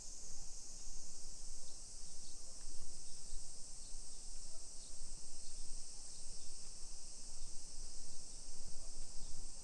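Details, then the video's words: Continuous high-pitched buzzing of summer cicadas along suburban hillside streets in Nisshin, Aichi Prefecture, Japan, early afternoon, 28 July 2021. The shrill wash never lets up, with soft background street noise and footsteps below. "Summer Cicadas Sounds"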